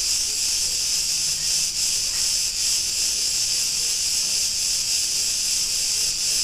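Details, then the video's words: Cretan cicadas in a street of Ierapetra, Greece, producing a continuous sizzling, high-pitched drone with faint wavering pulses and a quiet background. "Cretan cicadas sounds"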